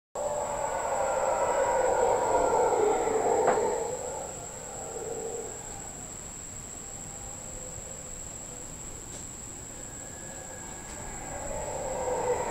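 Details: Howler monkeys heard from a patio at Casa Sonrisa in the Osa, Costa Rica: a loud, low droning roar for about four seconds that fades, then swells again near the end, over a steady high insect-like whine.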